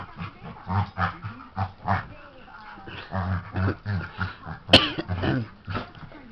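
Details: Dog named Nelson at play with his little sister, producing pulsed low growling in short bouts separated by pauses, with a single sharp click near the end.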